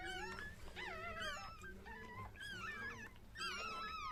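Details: Whimpering from a Chihuahua giving birth in a small room: thin, rising-and-falling whines in short runs about every second, with faint background music.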